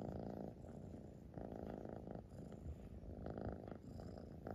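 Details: A close, loud purr from a Siamese cat, a dense low rumble in rhythmic breath cycles. Brighter inhaled phases return about every one and a half seconds with no pause between them.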